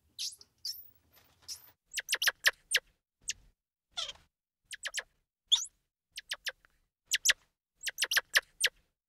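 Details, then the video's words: Squirrel monkey giving a rapid, irregular series of short, sharp high chirps and clicks, clustered in quick bursts with brief gaps, plus one longer downward-sweeping squeak midway; quiet background. "Squirrel Monkey Sound"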